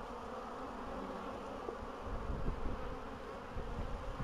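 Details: Bees humming on 14 April 2013 as spring arrives after a long winter, with queens laying again; a steady buzz swelling slightly louder in the second half, with low rumbling beneath.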